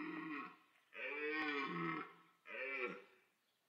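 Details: Autumn rut at Parc Sainte-Croix: a red deer stag bellows to attract females while rival stags chase and fight. Three rough, groaning roars, each about a second long and separated by short pauses, arching up then falling.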